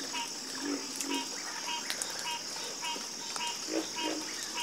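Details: A chorus of frogs croaking, with regularly repeated short mid-pitched notes about twice a second and lower throaty croaks beneath them. A constant shrill insect hum runs throughout.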